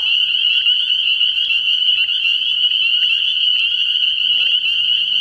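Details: Nighttime frog pond early in the year, packed with spring peepers whose sharp, high peeps merge into a steady ringing drone, with faint low sounds under the chorus.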